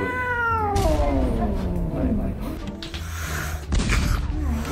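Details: Neutered male Korean Shorthair mackerel tabby cat, nine years old, turning fierce at the animal hospital; a long drawn-out yowl sliding downward into a low growl, with people talking and background music.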